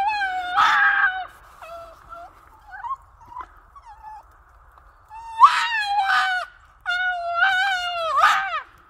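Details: Boston Terrier howling in a series of strained, yowling notes. Several bursts rise and then fall, with quieter whines between them and a steady faint hum underneath.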